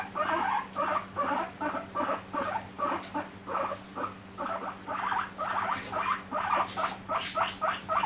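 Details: Pet guinea pig calling for vegetables in the morning: a run of short squeaky wheeks at a quick even pace, moderately loud, a few shriller peaks near the end, steady low electrical hum underneath.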